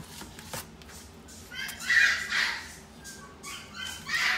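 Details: Miniature Dachshund in the Inu no Ie pet shop, Shippō branch, giving short, shrill, yapping barks: a cluster of sharp high yelps mid-way and another burst near the end, in a small indoor room with faint background noise.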